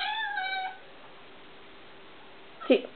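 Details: Indoor domestic cat, female, upset at a tiny bug on the wall, gives a brief high harmonic chirping call that slides slightly downward, then falls silent before a short sharp burst near the end; quiet room background.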